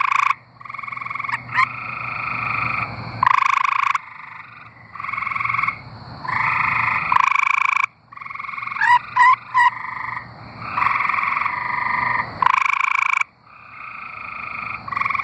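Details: Chorus of singing tree frogs from Arkansas, with long buzzy pulsed trills overlapping and alternating among several callers, broken by brief pauses and a few short clicky notes.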